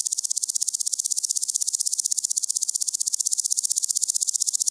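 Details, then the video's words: At Gaisberg in Austria on 15 September 2023, a woodland grasshopper (Omocestus rufipes) gives a sustained, bright, sizzling stridulation of quick evenly spaced pulses at constant loudness throughout. "Omocestus rufipes -- Buntbäuchiger Grashüpfer -- Woodland Grasshopper"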